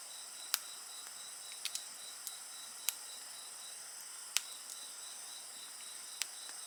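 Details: High-pitched insect chorus next to a burning campfire, with an even, rapidly pulsed trill and bright sustained tones, while frequent sharp pops and cracks from the flames punctuate the background.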